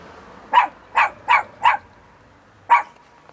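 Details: Bear, a fluffy little pet dog, gives four short sharp barks in quick succession, a pause, then one more; each bark is clipped and bright over a quiet background.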